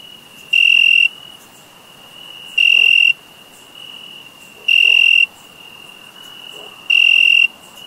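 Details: Four evenly spaced chirps from summer crickets, each a short, piercing, high pulsed burst about two seconds after the last, with a constant high whine between them.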